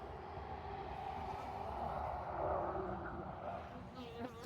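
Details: Honey bees from a well-established colony being cut out of a wall, active for two years, with robbing under way: a steady, dense buzzing hum that holds even for several seconds, with handling clatter near the end.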